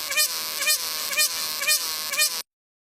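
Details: Cicada sound: a harsh, continuous high buzz with five rhythmic swelling, slightly rising notes about every half second, stopping abruptly after two and a half seconds.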